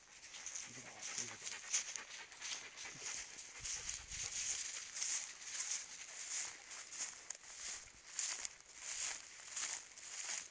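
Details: Two wheaten greyhound-cross lurchers, a dog and a bitch, both half crosses, on a morning walk; steady breathy hissing bursts of panting repeat about every two-thirds of a second, with faint outdoor rustle.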